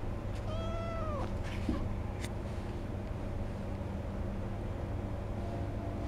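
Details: Begging cat at a cat café in Sendai, Japan, where a senior cat and a kitten plead together; one short meow that rises then bends downward, followed by a few soft clicks and taps over a steady low indoor hum.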